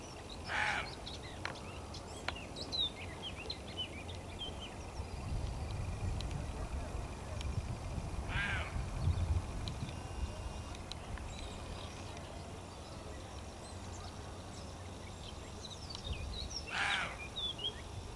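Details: Near Gijón at dawn, two male roe deer bark at people watching them, signalling the intrusion is unwelcome; three rough barks spread across the recording amid birdsong and a low rumble of background noise.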